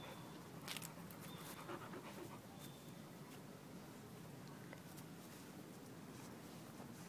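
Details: Puppies at play, their panting a fast, soft, breathy rasp that runs as a steady rough hiss, broken by a few faint clicks and taps.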